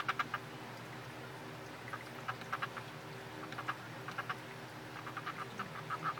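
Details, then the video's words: Tree frogs kept as pets, seemingly mating and riding piggyback, give short bursts of dry clicking notes in quick clusters, repeated irregularly over a steady low background hum. "Tree frog dance"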